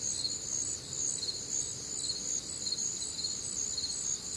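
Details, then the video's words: High ringing cricket chorus from a warm, humid Midwestern summer night, alongside other nocturnal sounds. Bright trills in stacked layers swell and pulse evenly, with a quiet low murmur underneath. "Night Time Cricket Sounds"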